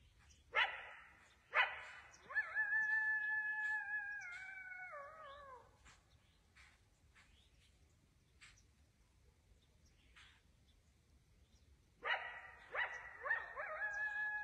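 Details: At dusk near a deer stand in the woods, a coyote gives sharp yips followed by a long, wavering howl that falls at the end.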